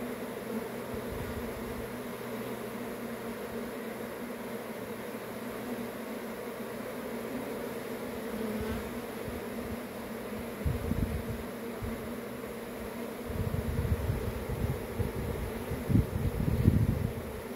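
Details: Swarming honey bees droning continuously, a constant low hum with a brighter band above; toward the end deeper rumbling bursts and thumps swell over the buzz, which never stops.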